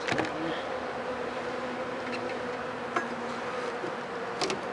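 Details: Dense, rough buzzing of honey bees at an opened hive following roughly four rainy days, when dead wet bees lay in front; the drone is steady, with brief clicks near the start and end.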